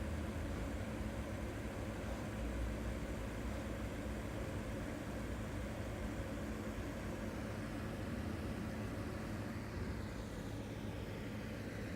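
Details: Only an even, continuous hum of broadband background noise is heard, with no snoring or other animal sound.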